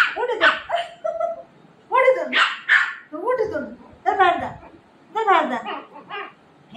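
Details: Shih Tzu puppy quarrelling with its mother, giving a run of sharp, high yapping barks in quick bursts, mixed with a woman scolding it and telling it to get out.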